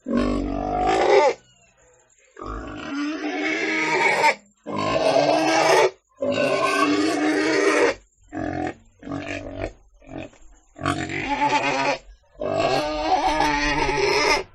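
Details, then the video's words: Pig squealing in a series of about eight harsh bursts of uneven length, separated by clear silent gaps, each cry rough and strained with a wobbling pitch. "Sound Of Pig - 豬的聲音 [ Suara Babi ]"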